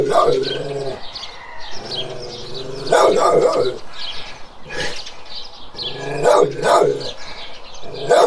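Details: Several times over, a large guardian dog lets out loud, rough barks in separate bursts, spaced a few seconds apart, with a sustained low tonal hum between them.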